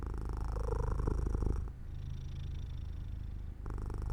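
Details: Pet cat drifting off to sleep by an open window in sunshine, purring: deep, fast, regular rumble, louder in the first second and a half, softer in a quieter middle stretch, then strengthening again at the end.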